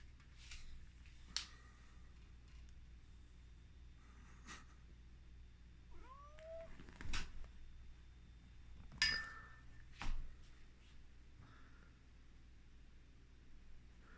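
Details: Domestic cat wearing a new tight outfit indoors, giving a few brief curved meows around the middle of the recording amid scattered clicks, rustling and a low steady room hum.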